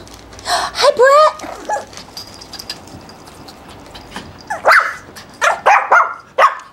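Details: Pekingese puppies, including a male pup named Brett, at a breeder's home in Akron, Ohio, give short, high, rising yelps and yips in brief bursts, interleaved with a person talking to them.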